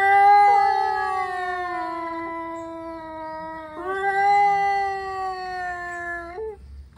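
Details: Male cats, angry and about to fight, give an unbroken seven-second yowl: a long wail slowly sliding down in pitch, then jumping up and holding steady before a short rising catch at the end.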